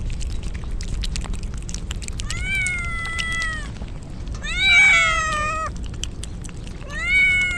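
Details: Soaked stray kittens crying in the rain as a typhoon approaches, Japan: a few long, level, harmonic meows, one louder wavering cry midway, separated by gaps filled with rain patter.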